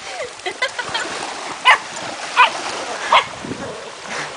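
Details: Ripley, a dog on her first or second beach visit, runs along the shore obsessively barking at and biting the ocean; three sharp barks spaced under a second apart over splashing surf, with a person talking.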